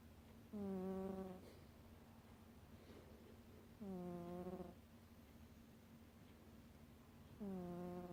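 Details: Pet cat snoring while asleep: three smooth, humming snores, each under a second with layered overtones, returning about every three seconds over a low, steady background hum.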